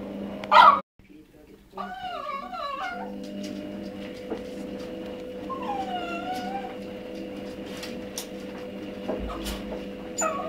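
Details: A one-and-a-half-year-old Cavalier King Charles Spaniel pines for a female dog in heat living downstairs. After a sharp opening burst and a brief silence come quivering, rising-and-falling whimpers, then a longer drawn-out whine, over a constant background hum.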